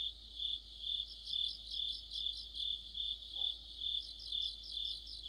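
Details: Cricket chorus in autumn, joined by other insects. Steady high chirping pulses about twice a second, each burst ringing and metallic, with a shimmering higher layer. There is one brief faint lower blip.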